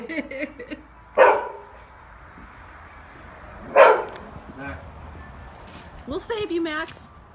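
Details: Max, a pet dog, barks at a toy squirrel held up behind the fence while people urge him to get it. Two sharp, loud barks come about two and a half seconds apart, with voices talking throughout.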